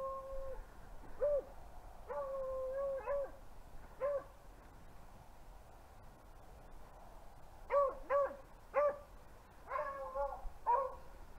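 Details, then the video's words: Hunting beagles chasing rabbits in upstate New York in February, baying from some distance: clusters of long, mournful howls and quick yelping notes over a steady hiss of outdoor background. "Rabbit Hunting with BEAGLES in New York"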